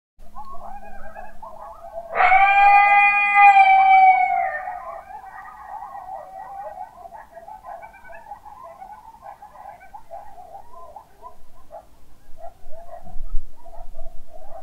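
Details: Coyotes at night on December 3, 2017: one loud, rich howl holds for about two seconds, then a continuous wavering chorus of yips and warbles carries on through the rest, with a brief thump near the end.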